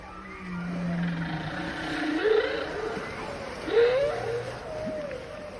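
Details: Whale. Drawn-out underwater moans from a whale swoop upward and bend in pitch, with a brighter whooping note near the end. A constant low hum and faint water noise run beneath the calls.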